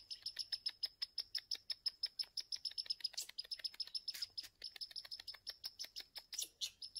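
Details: Grey squirrels in a forest give a fast, steady run of sharp, high chirps, about five a second for seven seconds. Each chirp carries a thin whistled tone, and the rhythm stays even throughout.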